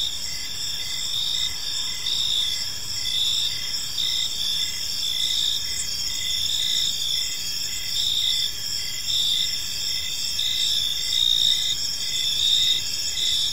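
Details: Crickets sing in a peaceful evening park, making a layered high, ringing trill broken into rhythmic chirps close to once per second, with steady low ambient noise underneath.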